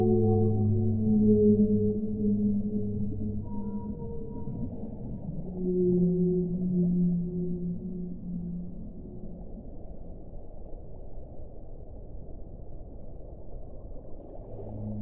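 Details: Deep, sustained whale moans with strong overtones, a second long phrase dropping slightly in pitch, then a quieter stretch of underwater rumble before another low tone begins.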